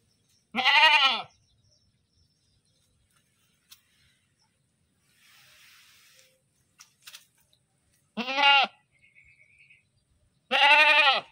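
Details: Three rich, nasal bleats from a screaming goat, one at the beginning and two close together at the end, with a soft hiss and scattered clicks between.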